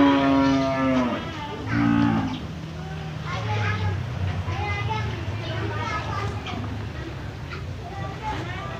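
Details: Cattle for sale at the Jonggol animal market: a deep, drawn-out moo opens, then a second shorter low moo follows about a second later, over a busy bed of market chatter, voices and crowd noise.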